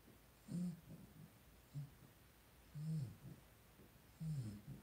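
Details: Two-week-old blenheim Cavalier King Charles Spaniel puppies, a litter of five born to Paris and Spike on New Year's, in their puppy pen: short low tonal grunts and whimpers come in spaced bursts, with faint snuffling between them.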